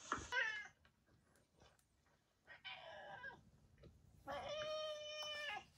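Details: Yongo, also called Kuro, a former boss cat of a residential neighbourhood kept indoors for terminal care, gives a brief harsh cry, then quieter calls and a sustained, steady wailing yowl near the end.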